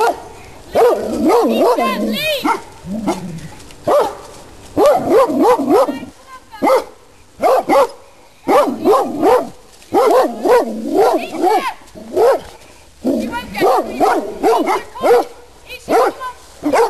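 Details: Several Rhodesian Ridgebacks loose in a private garden, brought in unexpectedly and not under control, barking in loud repeated bursts with short pauses, while a person shouts at them to go back.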